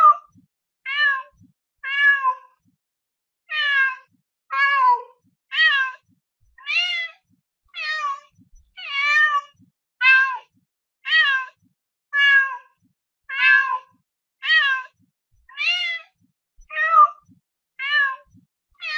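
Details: Domestic cat giving a rapid series of short, clear, high meows, each a brief rising-then-falling wail, repeated about every half to one second with tiny pauses, over near silence.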